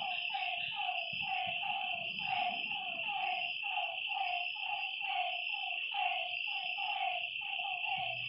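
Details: Lakeside frogs at night give a rapid series of falling, slightly nasal notes, evenly repeated about twice a second, while a constant shrill insect hum runs underneath.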